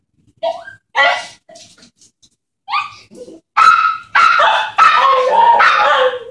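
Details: Excited puppies greeting a woman returning home indoors: a few scattered yips and whines first, then a rapid series of four loud, high barks about every half second.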